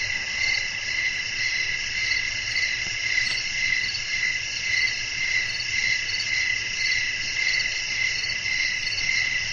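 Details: Crickets chirping on a calm night with wind blowing: a dense, steady high-pitched trill in layered bands, pulsing evenly around twice a second without pause, over a faint low rumble.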